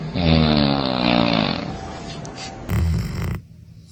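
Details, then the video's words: Dog snoring: a loud, throaty, harmonic snore with a slowly wavering pitch holds for about one and a half seconds, then quieter rasping, then a brief louder broad burst of sound before it cuts off. "Funniest Dog Snoring Moments"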